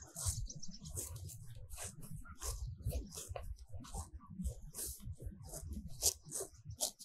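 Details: Cows eating fresh grass in a sunny meadow, recorded very close: quick, dry tearing bursts in a steady uneven stream, each a short crunchy rip, over a dull low munching.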